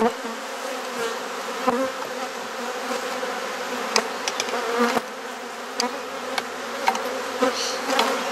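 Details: A backyard honey bee hive in Perth, Australia, opened for inspection and frame swapping. A steady, low, buzzing drone fills the recording, punctuated by scattered clicks and bumps of equipment.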